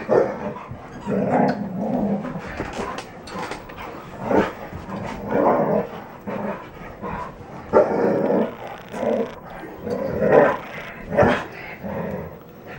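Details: Three red standard poodles, Betty Jo, Jenny and Cayenne, playing roughly together; repeated play growls and short barks in bursts, with scuffling throughout.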